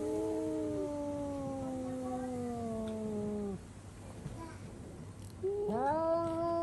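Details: Domestic cat indoors screaming after spotting another cat outside: a long, drawn-out wail sliding slowly downward for over three seconds, a short pause with faint noise, then a fresh rising yowl begins.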